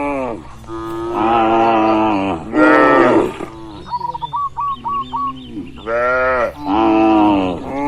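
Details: Herd of cows in a large barn moos repeatedly in broad harmonic calls, with a pause filled by a quick run of five or six bird chirps before more moos resume.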